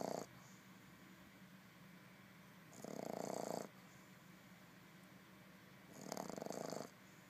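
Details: Sleeping Boston Terrier puppy Buster snores in rhythmic bouts roughly every three seconds, each a rattling, buzzy inhalation under a second long, with faint breathing between them in a quiet room.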